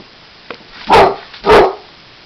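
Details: Basset Hound barking at and attacking a trumpet while a man plays it. Two deep, loud, drawn-out barks about half a second apart, over a steady background hiss.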